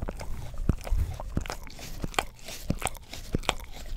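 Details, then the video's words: English Cream Golden Retriever, a household dog, lapping at a tongue cleaning brush next to a Blue Yeti stereo microphone; heavy, low, slobbery licks mixed with sharp sticky clicks. "ASMR Dog Licks Orapup Tongue Cleaner Brush - 1 Hour - English Cream Golden Retriever"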